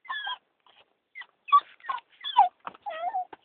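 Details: A female dog, a street rescue from Turkey, whimpers and yips with excitement as the car arrives home: short, broken, high whining cries with a few sharp yips and a wavering falling whine at the end.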